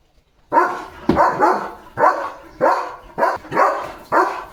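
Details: Barking German Shepherd in a home yard on a rainy, cloudy day with a rainbow. It makes a series of eight strong, resonant barks at a slightly uneven pace, about two each second.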